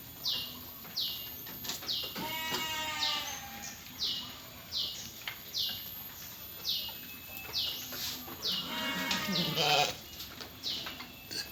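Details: Penned sheep belonging to PT Jatinom Indah Agri, a flock with lambs: two quavering, harmonic bleats, one early and one near the end, set against a steady train of high, descending chirps that repeat roughly every second throughout.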